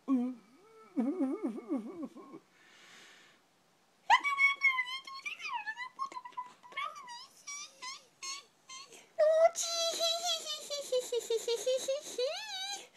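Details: A miniature schnauzer puppy reacts to a voice indoors with rising, wavering whines and howl-like cries, short yelps at first, then a long sliding wail; a person speaks briefly.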